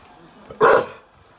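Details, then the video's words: Staffordshire Bull Terrier x Rhodesian Ridgeback rescue Lizzie gives one sharp, loud bark while guarding her wheelchair-bound owner against a suspicious person at the door indoors. Quiet room sound comes before and after the bark. "Shelter dog shows guarding instinct. Staffy Ridgeback rescue Lizzie protects wheelchair bound owner"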